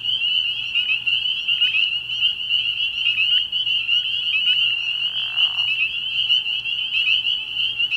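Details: Spring peepers at a pond after dark in early spring, calling in a thick chorus: high, ringing peeps blend into one continuous shrill tone, with a short breathy rustling noise partway through.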